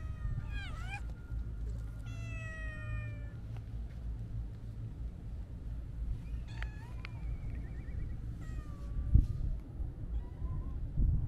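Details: Stray Siamese mix cat outdoors gives several clear, high meows. Some rise and fall, others slide or trail off. They come about every two seconds at first, then after a pause, over a steady low rumble of background noise.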